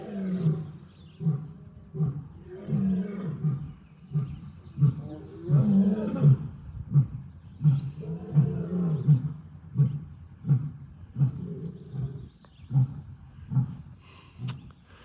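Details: Two rescued African lions at a wildcat sanctuary roaring together: deep, low grunting roars in a long series, pulses repeating roughly every second, swelling and fading over the bout, with a faint background hum.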